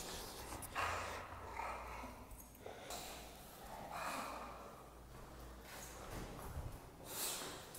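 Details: Excited bulldog on a walk, snorting and huffing in harsh, noisy bursts, several loud rushes of breath spaced unevenly across the recording.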